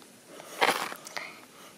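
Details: A large click beetle (Elateridae) in Sydney, held on a finger close up, gives a few sharp, dry snapping clicks, brief.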